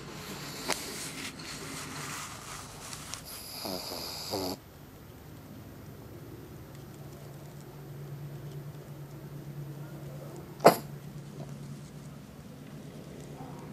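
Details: Pug named Izzy, worn out after wrestling outside in the heat with the big dog Toby, snoring while asleep and dreaming; rough, noisy breathing for the first few seconds, then a low steady hum with one sharp click near the end.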